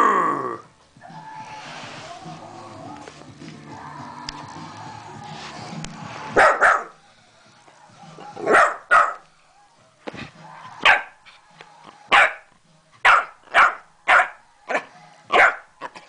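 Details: Five-month-old West Highland White Terrier puppy at play, loosing sharp, bright barks in the second half, roughly one each second, after a stretch of quieter rumbling sounds and a person talking.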